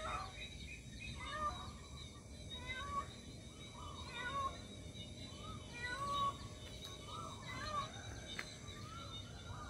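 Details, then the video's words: Cat calling for its lost kitten with a string of short, rising-and-falling meows at irregular intervals over constant background noise. "Cat meowing for missing baby"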